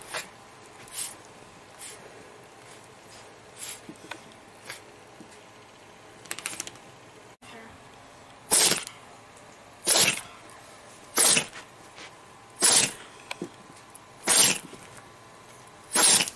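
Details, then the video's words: Summer, a pet dog indoors, sneezing again and again: short, sharp, hissing bursts, faint and scattered at first, then six loud sneezes spaced roughly every one and a half seconds in the second half, in a quiet room. "Dog🐶 Sneeze, Dog🐶 Sneezing Shaking Head"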